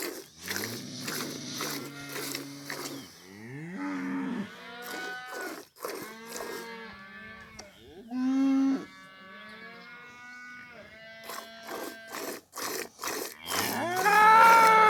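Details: Cow in a village mooing repeatedly: a series of rich, drawn-out lows, some rising and falling in pitch. Short crackling bursts open the recording, and a louder, higher bellow closes it.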